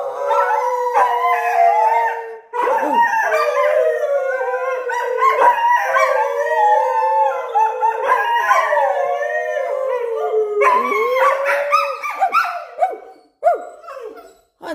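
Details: A Thai Bangkaew and a Rottweiler bark and howl along with their owner's voice, in long, wavering, mournful tones, with a few barks and the person's voice joining in.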